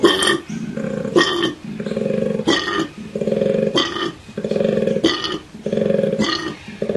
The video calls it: This Cute Koala is Calling for You!